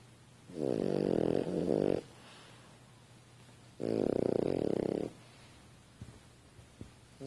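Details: Two loud, coarse, fluttering snores about three seconds apart from a French Bulldog sleeping on a couch, followed by faint small clicks and shuffles.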